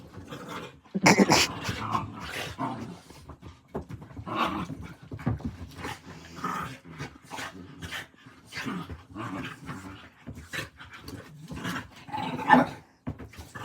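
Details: Late-night indoor play between two dogs, Rocky biting his companion around 11:40 at night; gravelly growling mixed with huffing pants and scuffles, a sharp louder burst near the start and another near the end.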